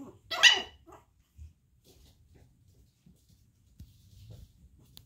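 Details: A single sharp, high-pitched bark from one of Daisy's Chihuahua puppies, indoors, followed by near quiet with faint low rustling and small sounds.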